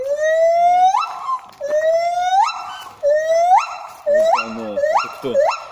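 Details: Gibbon singing at a monkey temple in Thailand: loud whooping notes that slide steadily upward, then jump to a higher, harsher held tone, repeated about once a second, with people's voices faintly beneath.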